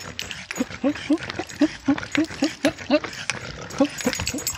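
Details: French Bulldog named Burian, tiny and running during a walk with stair climbing, makes rapid short nasal whine-grunts, nearly four a second and fairly even, with shuffling footsteps and rustle behind them.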